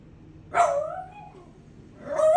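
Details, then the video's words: Shiba Inu giving two short vocal bursts about a second and a half apart, each a sharp onset sliding into a wavering, whiny tone, with quiet background between. "Shiba sounds"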